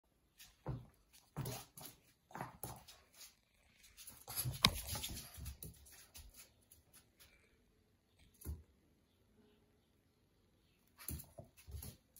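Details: Male and female Boston Terriers in the morning, making a series of short snuffling bursts and whimpers, with a louder cluster in the middle and quiet gaps between. The setting sounds like a small indoor room.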